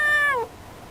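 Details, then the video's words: Female cat talking toward a distant bird; a single clear meow that slides downward in pitch and fades out. "片思いの猫 - Yukke complains to a bird."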